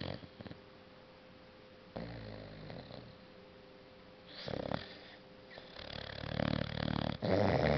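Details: Maya, a 6-month-old Boxer sleeping deeply and dreaming on a couch, snores in rough, low breathy bursts that come in several separate rounds, the loudest near the end, against a steady faint indoor hum.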